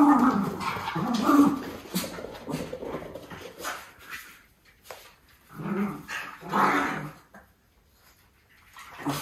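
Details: Two Miniature Schnauzer pups, brothers just back from full grooming, inspect each other indoors. Soft growly grumbles and whimpers arrive in short uneven bursts, loudest at the start, with quiet gaps and faint shuffling.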